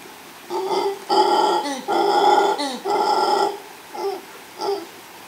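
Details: Howling male mantled howler monkey, female close by, Los Tuxtlas Biosphere Reserve in Veracruz, Mexico, captured by chance; long, rasping drawn-out roars run together, then two brief trailing grunts.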